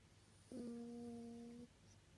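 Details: A sleeping Toy Poodle, whose nose has been bad since an old injury, gives one gentle nasal snore, a smooth, even-pitched whistling hum held about a second, starting abruptly and stopping cleanly amid faint room quiet.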